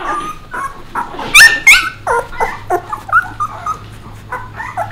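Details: Puppies with Bek, the adult dog: loud shrill yelps in a quick pair near the middle, surrounded by short whimpers and descending whines from several pups, with a low steady hum underneath.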